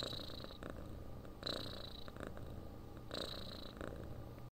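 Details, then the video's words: Close, low purring from a domestic cat meant for relaxation before sleep: a dense rumbling drone with three breath surges marked by brief airy hiss, ending abruptly. "Храп кошки. Муркотание для сна."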